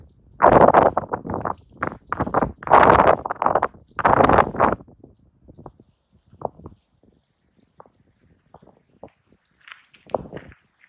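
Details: Two raccoon dogs in a real fight, hunched and squared up; a run of loud, raspy snarls and growls fills the first half, then fades to scattered soft grunts and rustling.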